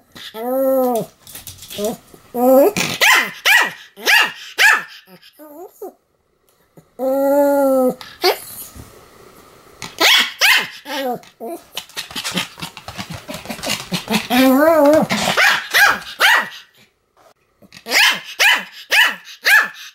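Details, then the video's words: Pomeranian in a long bout of continuous barking: rapid runs of short sharp yaps broken by drawn-out wavering howl-like barks, with brief pauses and some quiet background sound. "犬の鳴き声 ポメラニアン サムの連続吠え"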